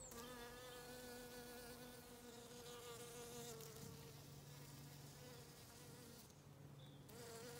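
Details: Autumn garden bee on a County Kilkenny farm in Ireland, buzzing continuously with a slightly wavering pitch, briefly fading near the end before returning.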